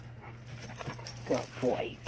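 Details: Tonka, an Alaskan Malamute, answering a Tennessee mountain Bigfoot recording with two quick mid-pitched grumbling, talking-style vocal bursts over a constant low hum.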